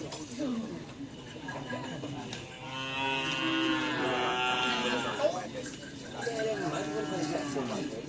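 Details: Cattle at training for the karapan sapi bull race: a long, loud, harmonic moo swells midway and fades, amid people talking and music in the background.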